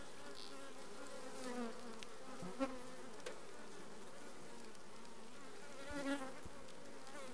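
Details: Honey bee colony, requeened, in June 2020, giving a steady low droning hum of many bees with faint wavering tones around it and a few soft clicks.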